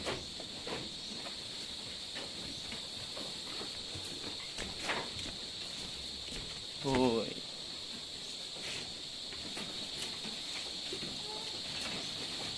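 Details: Anglo-Nubian goats giving birth at Terra Grande Farms, San Carlos City, Negros Occidental, Philippines, where seven kids were born in one day. A single short, wavering harmonic bleat sounds near the middle over a steady, high cricket drone and faint rustling.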